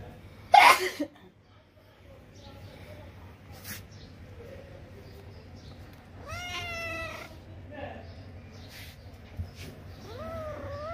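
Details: Pet kitten climbing a tree and playing: two drawn-out meows, rising then falling in pitch, one midway and one at the end, over a low background hum, with a sharp knock near the start and a person's voice.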